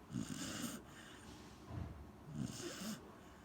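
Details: Gen-chan the Corgi snores in sleep: a harsh buzzy snore, a softer low breath in between, then another rattling snore with a slight squeak.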